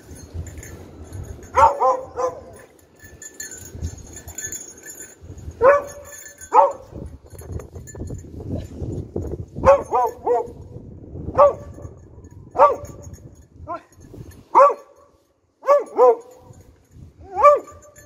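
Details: Beagle in rescue dog training, searching for victims, three of them hidden within ten minutes and two out of its reach; about a dozen short, harmonic barks and yelps come in uneven bursts over a low background rumble.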